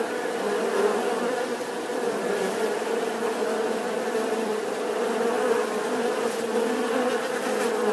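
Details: Bees buzzing in a sustained, steady hum, the low drone holding level for eight seconds with faint brief higher ticks scattered over it.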